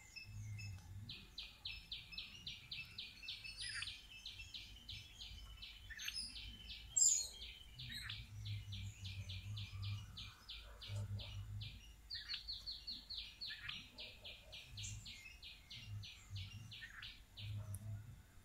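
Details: Indian palm squirrel, also called three-striped palm squirrel, eating rice; long runs of rapid, sharp high chips repeated many times a second, with brief pauses between bursts, over a low rumbling background hum.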